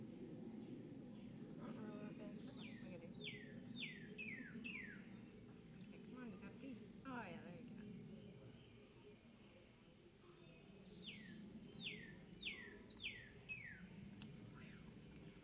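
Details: During feeding, young captive squirrels give two runs of thin, downward-sliding squeaks, each run of four or five notes, early and late, set against steady low handling noise and a person's voice.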